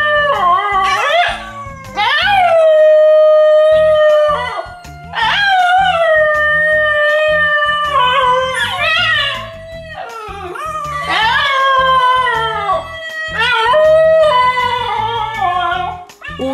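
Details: Trained Basenji dog howling in response to recordings of its own sounds: repeated wavering, yodel-like howls that rise then slide down, with sustained held tones, mixed with background music and rhythmic beats.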